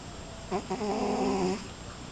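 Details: Loud snore from a domestic cat, a single drawn-out, rasping breath with layered harmonics lasting about a second over a quiet background.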